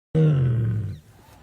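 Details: Tiger giving a short, deep roar that starts abruptly and slides slightly downward, lasting under a second before fading into low background rumble; recorded without a microphone.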